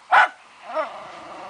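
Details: Fox terrier barking during a wild boar hunt: one sharp, loud bark followed by a softer, rising yelp about half a second later, then quiet.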